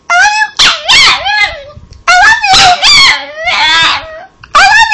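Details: Cosmo Kramer the Chihuahua, a pet dog, answers with "I love you" talk: quick clusters of high, warbling whine-howls that swoop and dip, separated by short pauses, a person's low voice faintly behind.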